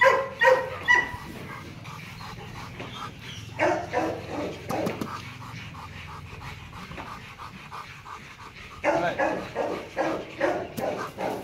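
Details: Loki, a male Rottweiler about two and a half years old at Gervi Kennel, barks during play in short repeated bursts, a cluster at the start and another near the end, with quieter murmuring between.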